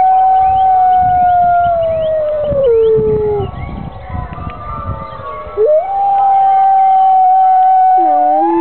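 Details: Grey wolves at the UK Wolf Conservation Trust howling as church bells ring out on a Sunday morning; long sustained tones with overlapping voices, one slurring down midway then rising back to a steady pitch, ending with a sharp drop.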